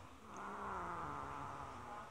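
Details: A domestic cat growls outside a house because she is refused entry with prey she stole from another cat. A low, steady, droning growl with soft overtones is held for about two seconds over a broad background hiss.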